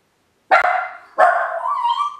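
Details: YLVA the Miniature Pinscher, alone at home outside the kennel for the first time: one sharp bark, then a second that stretches into a long, whining, howl-like tone.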